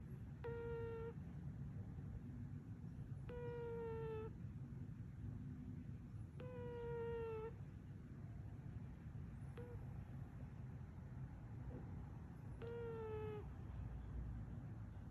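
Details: A British Shorthair (Chartreux) cat, recorded May 11, 2021, snores with a squeaky, whistled note on each breath, about every three seconds.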